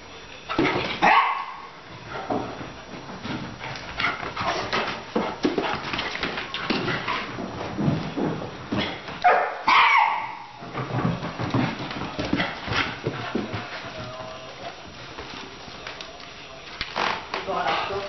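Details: Two dogs at play, a Labrador puppy and an older Coton de Tuléar, give frequent short barks, yips and whining growls in uneven runs, with rustling play noises throughout.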